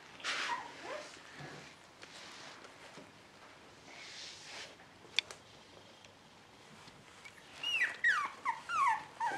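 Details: A female dog in the Netherlands calls for attention. After long quiet stretches with faint rustling and one sharp click, a run of high, falling whimpers comes at the very end.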